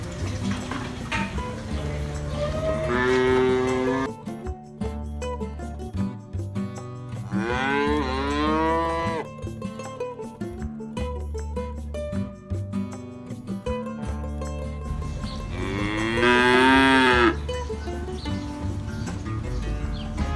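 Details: Real cows mooing. Three drawn-out moos rise and fall about four seconds apart over steady background music. The last moo is the loudest and highest.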